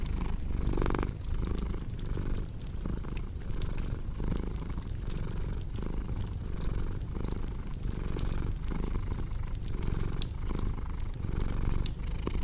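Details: Domestic cat purring steadily, a low rumbling drone that swells and fades in rhythmic breaths about every 0.6 seconds, mixed with sharp pops and crackles of a cozy fireplace throughout.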